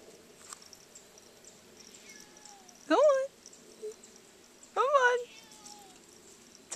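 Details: Domestic cat meowing in new surroundings it does not know its way around: two drawn-out harmonic meows, each rising then falling, about two seconds apart, over faint background hiss.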